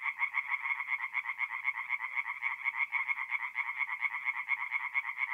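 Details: Night chorus of tree frogs at a forest pond in north-east Italy, mid-April: a continuous, fast train of nasal pulsed croaks from several overlapping frogs, steady in loudness throughout.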